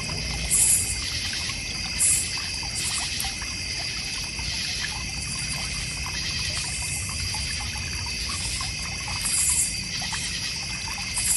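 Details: Backyard crickets in the North Georgia Mountains keep up a continuous high-pitched trilling chorus, with brief louder chirp bursts near the start and end, over a soft trickle of water from a goldfish and koi pond.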